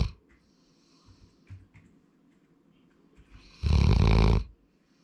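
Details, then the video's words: Sora, a male Labrador Retriever born 8 February 2019, gives one loud, rasping snore lasting under a second near the end, after a quiet indoor stretch with faint soft noises. "ラブラドールの いびき"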